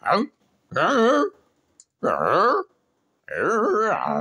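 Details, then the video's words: Peppi, a pet dog wanting a cow's skull, 'talks' indoors with wavering, moaning whine-howls in four bouts, each rising and bending in pitch, separated by short silences. "Talking with my dog, Peppi"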